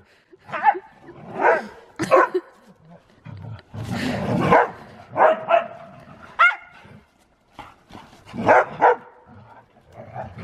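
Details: Excited Siberian Husky racing around in snow during zoomies, giving a string of sharp barks and yelping calls, some with a rising whine, spaced irregularly over ten seconds with a rough breathy rush in the middle.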